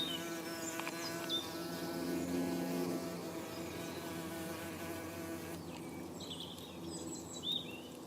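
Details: Saxon wasp queen (Dolichovespula saxonica) building her nest on 17 April 2015, day two of construction; a steady low droning buzz with layered hum tones, brief high chirping in the background, and a woman speaking.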